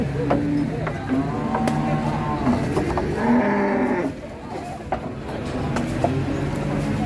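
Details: Cows being loaded onto trucks at a busy cattle market in Ngawi, Indonesia; short low lowing bursts and one longer moo near the middle, half-buried under people talking, vehicle noise and music.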